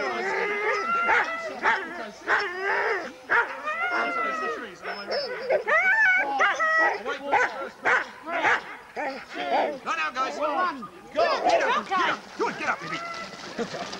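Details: Many huskies at a sled dog race weekend in the Forest of Dean, November 2001, taped on old VHS: a dense, overlapping chorus of high yips, yelps and short howls, rising and falling continuously, with a few human voices mixed in.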